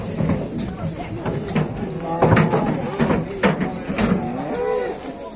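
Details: Large cattle being unloaded in Indonesia, lowing amid a busy scene; several deep moos rise and fall between clatter and knocks, with people talking in the background.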